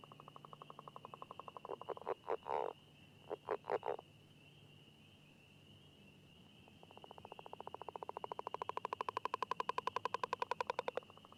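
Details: A northern leopard frog in the Chicago region gives its territorial call, easily mistaken for a wood frog: short clucking chucks, then a long rattling snore-like train made while calling underwater. The species breeds in wet meadows, prairies, marsh edges and semi-permanent wooded ponds.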